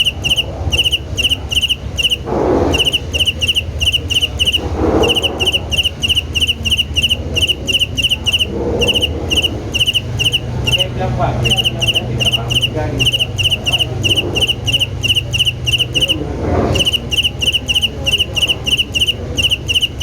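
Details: Cricket chirping rhythmically: steady, high, pure-toned pulses in quick regular bursts, several per second, continuing without pause over a low rumble with occasional soft whooshing swells, possibly passing vehicles.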